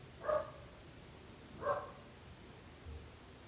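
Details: A dog bothering the neighbours gives two separate sharp barks about a second and a half apart, with faint low rumble in the background.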